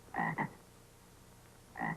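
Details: Bullfrog croaking from a played-back tape used for a listening quiz: two quick double croaks, gruff and resonant, separated by a pause of over a second, against a quiet hissy background.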